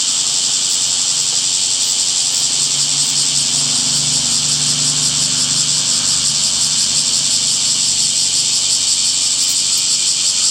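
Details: Summer cicadas droning in a continuous shrill buzz, with a faint low hum rising briefly beneath it around the middle of the recording.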